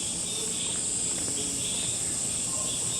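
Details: Cicadas calling near a small patch of forest with apartment blocks on the other side, on a July mountain hike near Cheonan, South Korea; a steady, continuous high buzzing drone fills the whole stretch, with faint distant background noise.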